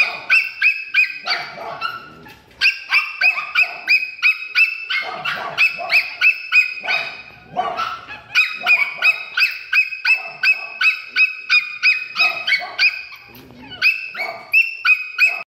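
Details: Pet-shop dog yapping continuously: bright, high-pitched barks tumbling out roughly three each second in short bursts, briefly easing twice before picking up again at the same hurried pace.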